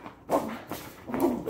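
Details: Patterdale Terrier during tug-of-war play training, growling indoors in short low, rough bursts with a buzzing harmonic tone, broken by brief pauses.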